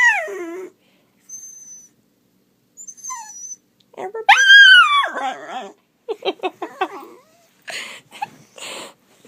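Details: Pet dachshund worked up by sounds that drive him nuts, uttering scattered whines, then a loud wavering howl-like yowl near the middle, followed by short yelps and a person's voice between calls.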